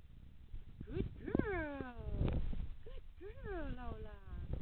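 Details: A 17-week-old female Staffordshire Bull Terrier puppy, playing in her pool, gives short, whiny yelps that rise briefly and then slide downward.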